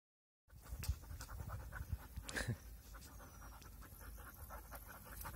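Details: Puppies playing together, heard as rapid rhythmic panting with soft thuds and scuffling, after a brief silent start.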